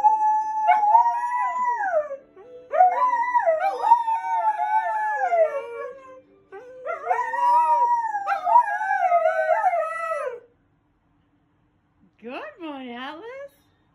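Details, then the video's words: Pet Siberian Husky singing along to a television drama intro, a habit at every episode start; several long, wavering, rising-and-falling howls in bursts separated by short breaths, ending with a shorter yodelling howl after a silence. "Husky sings Law & Order Intro."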